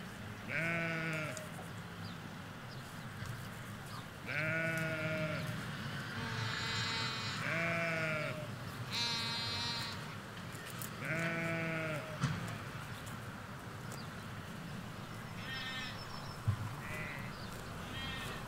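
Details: In a Hampshire countryside field, ewes and lambs call near a hedge: a series of tremulous, buzzy bleats, some deep and some thin and high, roughly six separate calls over eighteen seconds, with faint distant traffic rumble beneath.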